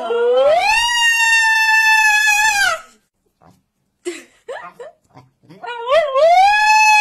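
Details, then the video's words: A husky, likely named Blue, screams in protest at not going out. A loud howl rises sharply and is held for over two seconds, then stops. Indoors, a person talks to the dog before a second rising, wavering scream. "husky screaming woof!"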